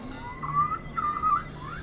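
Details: A beluga whale (Delphinapterus leucas) gives a contact call of warbling, whistle-like tones that rise and fall around a steady pitch, repeated. This survival call is used when a beluga is isolated from its group.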